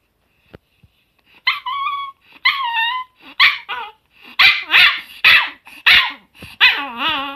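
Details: June 2018 recording of a pet Chihuahua: a few thin whistled whines, then a rapid run of sharp, high yips and barks, ending in a long wavering whine.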